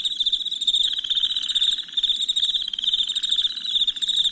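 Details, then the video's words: At night, crickets trill shrilly and without pause, their fast pulsed chirps merging into a dense chorus, while a lower grating pulse swells in short bursts. "Soothing Crickets Chirping Sounds"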